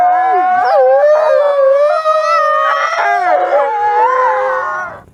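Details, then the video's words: Several wolves howling together in a dense chorus of overlapping sustained tones, some wavering and some gliding up and down, kept up continuously for about five seconds before fading out. "WOLF SOUNDS! What is the sound of wolf?"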